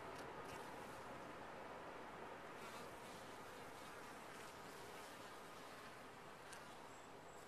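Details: Steady, even drone of honey bees massed in a top-bar hive, a broad rustling hum holding constant throughout with brief higher hiss bursts from passing wingbeats.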